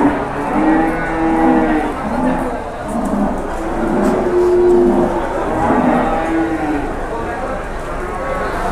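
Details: Cattle at Pasar Jelok livestock market in Boyolali, Indonesia, where a giant cow draws a crowd: drawn-out low moos rise and fall several times over a steady murmur of voices and market bustle.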